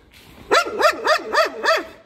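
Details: Karst Shepherd barking, five quick, sharp, evenly spaced barks in about a second and a half, each one bright and slightly arched in pitch.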